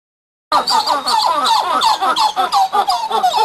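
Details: Coppery titi monkeys (Callicebus cupreus) give a rapid, overlapping run of squeaky, chirping notes that rise and fall.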